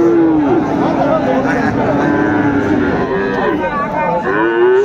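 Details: Friesian or crossbred bull calves at the Raniganj cattle market in Dinajpur, Bangladesh, on a Monday, 10 February 2025; several long, steady lowing moos with rich harmonics overlap amid market crowd noise and voices.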